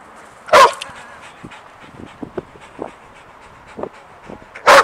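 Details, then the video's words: Sadie, a pet dog, excited and jumpy over an unseen squirrel: two sharp, loud barks about four seconds apart, with soft whimpers, yips and small scuffling sounds in between. "Sadie Gets Excited and Jumpy for an Unseen Squirrel"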